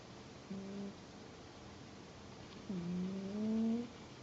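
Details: Indoor cat snoring: a brief low hum followed by a longer whistling snore that climbs in pitch, both soft tonal breaths against faint room noise.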